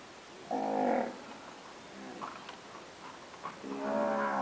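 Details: Pedigree Nelore cows that have recently calved: two short, harmonic moos about three seconds apart, with a fainter low call between them over quiet background hiss.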